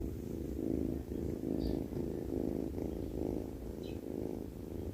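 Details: Sleeping cat snoring: a steady low rumble that swells and fades with each breath, roughly once a second, with a few faint brief chirps above it.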